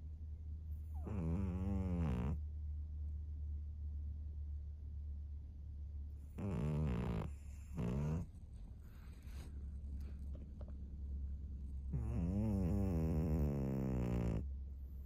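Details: Snoring from Maria, a fawn female pug aged 13, a senior pet dog in Japan, on 3 March 2024. Three rough, vibrating breaths roughly every five seconds, the middle one broken into two pulses, with a constant low droning hum beneath.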